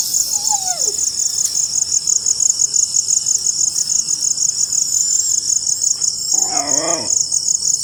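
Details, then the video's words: After rainfall, crickets produce an unbroken shrill pulsed trill; a short sliding chirp near the start and a brief warbling sound near the end break in beneath it. "crickets making sound after rainfall"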